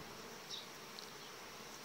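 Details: Honey bees of a very strong colony filling 18-19 frames, enlarged by merging bees from dismantled nuclei, at the end of July: a steady, dense, hissing hum with a faint tone running through it and a few soft ticks.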